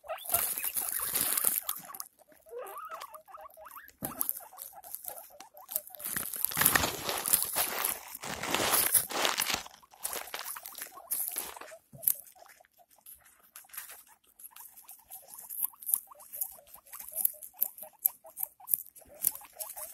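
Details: Pet guinea pig giving birth to six young, with loud rustling and scrabbling in bedding at first, then a steady series of small, quick, high-pitched squeaks repeated through the second half.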